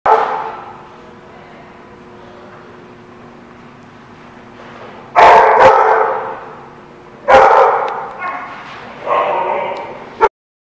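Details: Dogs at a boarding or play facility recorded on December 16, 2016, giving loud, harsh barks in three bursts after a quieter stretch with faint speech.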